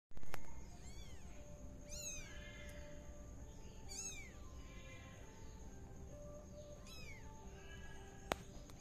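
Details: Tabby kitten spinning around inside a pot, giving high, thin meows that arch up and fall, about four calls spaced a second or more apart over a steady low hum and a faint constant high tone.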